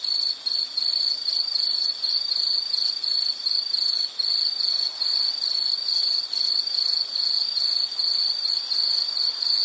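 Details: High-pitched insect chirping in quick, regular pulses that run together into an almost continuous shrill trill, holding steady in level throughout.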